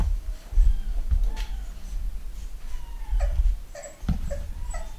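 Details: Nine-week-old Pugalier puppies, a pug and cavalier cross litter of boys and girls, at a UK breeder, give short high whimpers, some with bent falling contours, between soft thumps and low handling noise indoors.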